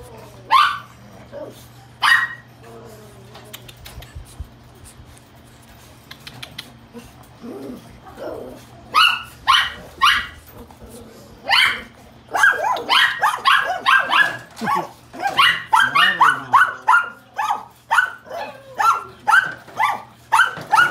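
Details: Fair-coated pug puppy yapping: scattered short, sharp high barks early on, then from midway a rapid run of bright yips and whiny barks, several per second, with faint human voices and a low steady hum underneath.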